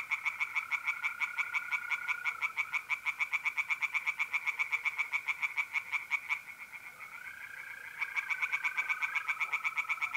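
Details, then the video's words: Pond tree frogs in North-East Italy, mid-April at night, calling loudly in long runs of rapid, knocking, harsh pulses that pause briefly and resume, while mole crickets keep up a steady shrill trill underneath. "singing tree frogs in pond"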